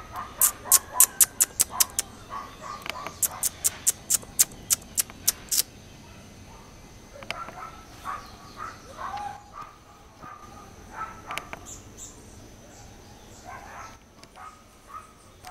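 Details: A hybrid marmoset (buffy-tufted × black-tufted) in a degraded area of Petrópolis, Rio de Janeiro, Brazil, gives a fast run of sharp, high clicking chirps, then softer mid-pitched squeaky calls.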